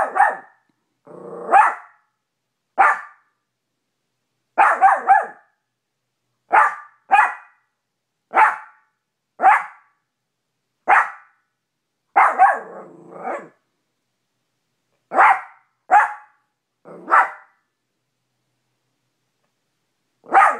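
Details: Small Maltipoo Cash barks persistently at the dog in the bedroom mirror, his own reflection; a long irregular series of high, sharp yaps, often in pairs, with a few softer grumbling barks mixed in.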